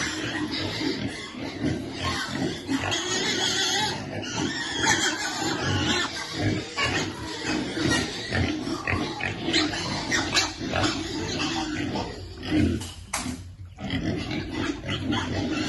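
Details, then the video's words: Piglet waiting to eat, grunting and oinking steadily through a dense, noisy feeding scene, with rough low calls and scattered higher squeaks. "Baby piglet waiting eat food, feeding lovely piglet."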